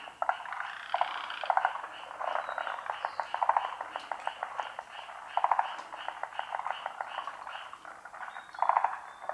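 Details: A dense frog chorus of rapid, overlapping croaks and pulsed trills from many unseen callers at a pond, which at the end stops abruptly all at once.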